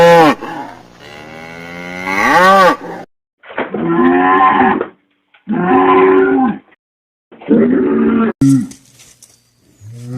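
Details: Cattle lowing in a series of moos about two seconds apart. The first is long and rises then falls in pitch, followed by three shorter, brighter, even bellows with silences between.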